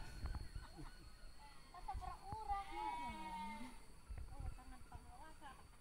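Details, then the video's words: Sheep during mating in Kampung Sirna Rasa, a village in Indonesia: one drawn-out, wavering bleat rises and then falls midway through, with scattered talk and rustling before and after and a steady high electrical whine throughout. "cara perkawinan domba di kampung sirna rasa"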